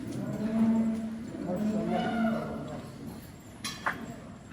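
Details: Water buffalo at a livestock farm, filmed during their transport: low, drawn-out moo-like bellows, with overlapping calls in the first two seconds that then fade. Faint music and a brief clatter sound behind.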